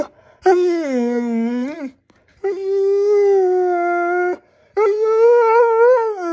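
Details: A husky howls at home, wanting more attention, in a slowly building sequence. Three long tonal howls, each one to two seconds, are separated by short pauses. The pitch dips, then rises at the ends, and the third howl wavers.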